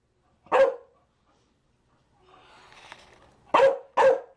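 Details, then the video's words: Three gruff barks from a Chow Chow: a single bark, then a pause filled with a faint rustle, then two quick barks in close succession. "Chow Chow barking"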